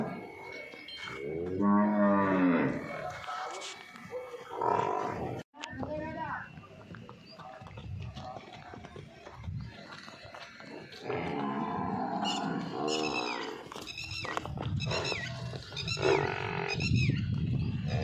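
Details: Nili-Ravi buffalo for sale in Punjab, Pakistan gives a deep, harmonic, slightly wavering moo lasting nearly two seconds early on; people talk throughout the rest, with farmyard clatter behind.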